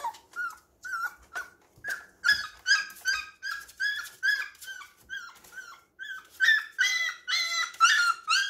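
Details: Playful baby puppies filmed at home produce rapid high yips and whines, some harsher and richer, repeated about twice a second, with light knocking noises in the room.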